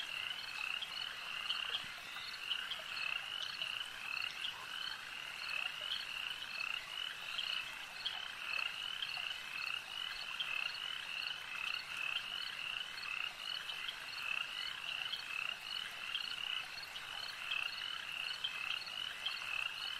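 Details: A long stretch of frogs croaking at a lake, countless high trilled calls merging into an unbroken, evenly pulsing chorus that holds its level the whole way through.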